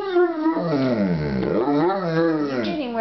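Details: Rufus, a pet dog "talking" to his owner indoors, gives a long wavering howl-like vocalisation, rising and falling in pitch with a dip in the middle, rich in harmonics, steady for three seconds.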